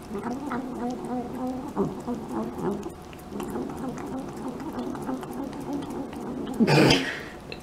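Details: Indoor cat making noises as it eats, a gargly, rolling hum that wavers up and down almost continuously, ending in a brief loud rustle near the end.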